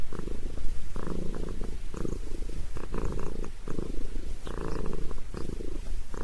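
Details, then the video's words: Head massage sets Sabrina the cat purring, a low continuous rumble swelling and fading in breath-paced bursts about once a second in a quiet indoor room. "Famous Sabrina the Cat Loves a Head Massage!"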